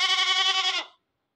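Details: A newly acquired goat calling nonstop: one loud, harmonically rich bleat lasting under a second, steady in pitch with a slight wavering tremble, then cut off into silence.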